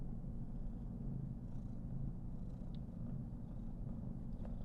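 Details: Karen, a female Somali cat born 19 November 2021, purring contentedly while being petted and fluffed at home on her 419th day; a steady low rumble with a faint pulsing throb, continuous throughout, with a few soft rustles above.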